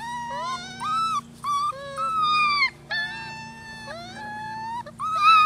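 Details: Rescue puppies aged six weeks, Holly's litter of ten at Lonely Hearts Animal Rescue, crying in long howl-like whines that swoop up, hold level and sometimes drop in pitch. Two voices overlap at times, over a low background hum.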